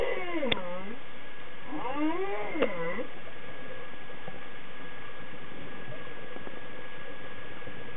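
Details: Humpback whale singing underwater, recorded about thirteen years ago; long moaning calls that sweep down and up, harmonic and wavering, in two phrases over the first three seconds, then quieter hiss.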